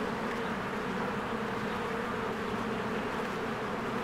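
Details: A busy honeybee hive in spring, bees flying around the entrance; a continuous low buzzing drone of many wings, uniform and without pauses.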